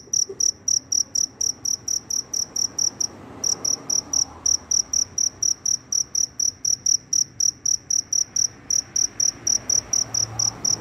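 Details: After rain, a cricket searching for a mate chirps intensely: rapid high ringing pulses about four a second, broken by a short pause early on, then resuming steadily over soft low background noise.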